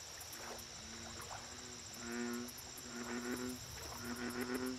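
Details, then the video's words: American bullfrog calling at a lake: deep, resonant droning croaks in a loose series of four or five, each lasting about half a second, over a steady high insect whine and rapid ticking chirps. "Bullfrog Lake Audio Only - Nature Sounds"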